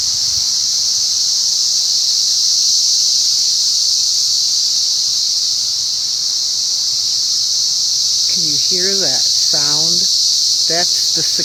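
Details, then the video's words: Cicadas: a continuous high, shrill buzz held steady throughout, joined near the end by a man's voice speaking. "Sounds of the Cicadas"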